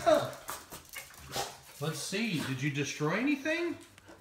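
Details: Siberian Husky puppy, a female left alone at home while wearing a GoPro camera, gives a string of wavering, up-and-down whining howls with a shifting, talking quality over faint background rustle.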